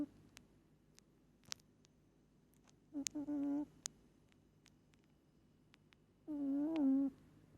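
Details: Moli, a sleeping pet cat, snores: two drawn-out, wavering nasal hums several seconds apart, the second longer and dipping in pitch, over soft indoor background and scattered clicks.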